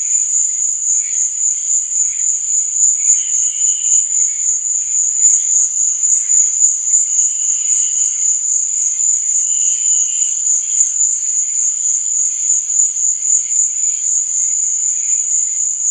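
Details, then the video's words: Night-time cricket chorus, a continuous high-pitched ringing trill holding level throughout, with a few brief lower warbling chirps surfacing now and then beneath it. "Cricket Sound"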